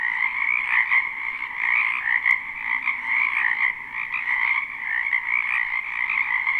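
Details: Spring wetland frogs in full chorus, recorded live without looping: layered trilling croaks form a constant high buzz with gentle swells, one brief tick partway through and a soft low rumble underneath.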